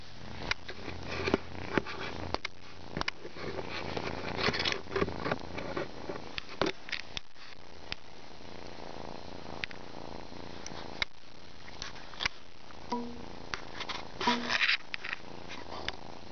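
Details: Kitten yawning and purring indoors: a low, continuous rumbling purr under soft rustles and clicks, with a brief tonal squeak or yawn-like sound near the end.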